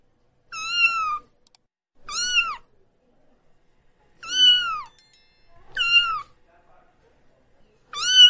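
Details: Tortoiseshell kitten, likely female and about two weeks old, alone and frightened in a paddock, yowling like a baby calling for its mother: five loud, clear, slightly falling cries, each under a second, spaced about one and a half seconds apart.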